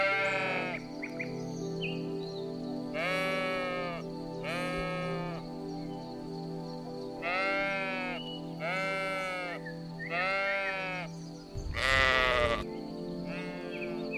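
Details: Sheep bleating: about six wavering, nasal bleats, each lasting roughly a second, come at irregular intervals over soft background music, with a brief harsh noise burst near the end.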